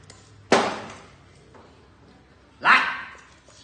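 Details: Phu Quoc Ridgeback at a breeding kennel in Thu Duc, Vietnam, during obedience training: two sharp, loud barks about two seconds apart, with quiet room noise between.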